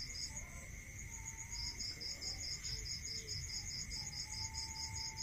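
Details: Crickets at night in a rural area: high, rapid pulsed chirps in trains that start and stop, over a steady shrill ringing trill and a lower constant whine. Faint low rumble beneath.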